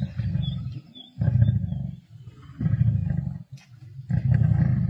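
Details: Wild male lions feeding on a kill alongside a pride, Sabi Sands, 31 March 2024; low throaty growls in repeated one-second surges, steady rumbling throughout with brief quiet gaps.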